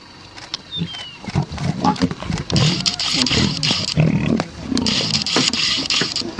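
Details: Big cat snarling and growling in harsh, noisy bursts that come in quick, uneven succession, with a faint high whistle early on.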